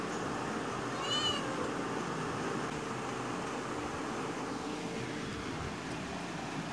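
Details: Cat hunting a small bird gives one brief, wavering, harmonic call about a second in, then falls silent against a steady broadband hiss of background noise.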